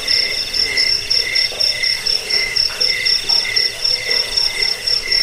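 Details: Cricket chirping, offered as a sound to drive away rats, lull listeners to sleep and train songbirds; high pulsed chirps repeat about four times a second in an even stream, with a softer lower tone beneath.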